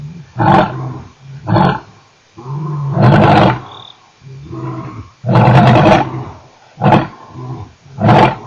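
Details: A male lion at Nkorho on 29 September 2008 gives a series of deep, throaty grunting roars, each burst lasting about a second.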